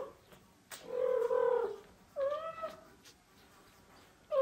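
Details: A mother domestic cat, who constantly meows to the father cat while carrying her kitten to him, gives a long, drawn-out meow, then a shorter rising-falling one.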